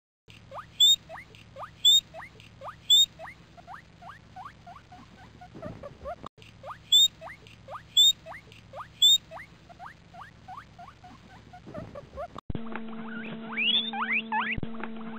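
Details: Pet guinea pigs squeaking: rapid series of short rising high squeaks, in repeated bursts with sharper chirps above, a brief break, then a different segment with steady background hum and tangled high calls.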